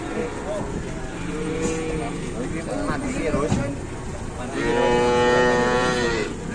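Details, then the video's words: Large female cow lying down and unable to get up, possibly pregnant, at a Javanese cattle market in Ambarawa, Indonesia; long harmonic moos, a quieter one early and a loud sustained one near the end, over people talking. "SAPI BESAR TERBARING TAK BERDAYA BIKIN PANIK TUANNYA"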